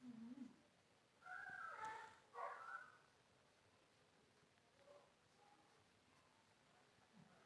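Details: A cute pet cat that wants to sleep gives two short, bright, mewing cries close together mid-clip, preceded by a soft low murmur; a quiet indoor hush with faint scattered sounds follows.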